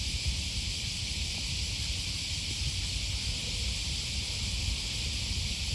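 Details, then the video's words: Morning cicada chorus along the Okawa River in Osaka, Japan, on the first Thursday of August 2020: a steady, shimmering high-pitched drone that holds constant throughout, backed by low-frequency footsteps and wind rumble. "Walking along the river, with the voice of a cicada"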